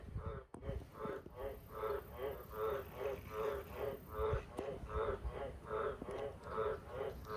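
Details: Wild Australian green tree frogs (Litoria caerulea) around the house and farm sheds at night, where they breed in cattle water troughs; loud, deep, harmonic croaks repeated in a steady series, roughly three notes every two seconds, over low background rumble.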